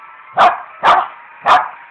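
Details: Pet dog barking as if trying to tell its owners something; three short, sharp, mid-pitched barks spaced about half a second apart, each a bright percussive burst, with a quiet steady hum behind.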